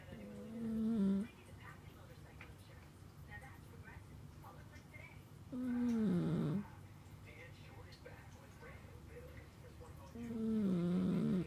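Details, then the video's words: Snoring sleeping cat, its breath making low, whistly tonal sounds about every four to five seconds, three in all, each sliding downward and wavering near the end, with quiet indoor hush between. "Snoring cat"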